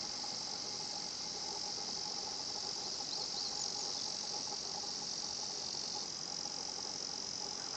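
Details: Higurashi cicada song recorded at the tranquil 新発地庵 spot: a dense, unbroken high-pitched buzz with a few quick chirps midway, and the tone shifting slightly lower toward the end.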